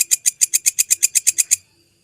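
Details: Short phrase from a genuine belalang kecek grasshopper, recorded to tutor songbirds. About eleven crisp, high, evenly spaced ticks come in quick succession, then silence.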